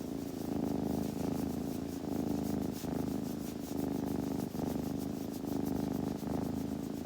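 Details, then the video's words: A kitten purring while grooming: a steady, low, rhythmic rumble that pulses continuously, with soft rubbing and licking sounds woven through it. "子猫のASMR / グルグル音・毛づくろいの音など"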